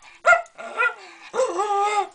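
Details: Pet Jack Russell Terrier howling and talking: a short sharp yelp, then drawn-out harmonic whines that bend and waver, ending in a steadier, slightly falling howl-like note lasting under a second.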